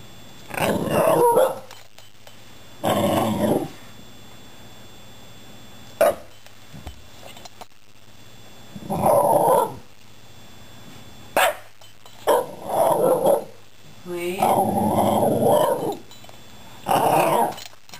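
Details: Patrick, a pet Shiba Inu, "talking" to two cats rescued two months earlier: a run of short, drawn-out, moaning yowls and grumbles, about seven bursts spaced one to two seconds apart, with a woman softly urging him to be careful.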